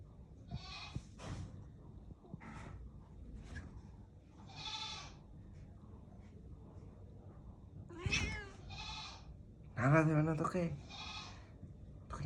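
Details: Angry domestic cat, disturbed while being approached; a series of harsh, drawn-out growling wails and yowls repeated every second or two, louder near the end, with a woman speaking Bengali.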